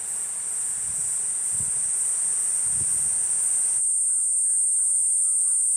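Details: Continuous high buzzing of the cicada Platypleura kuroiwae over low thuds early on, then an abrupt cut to a quieter background where the buzz carries on beside faint chirps.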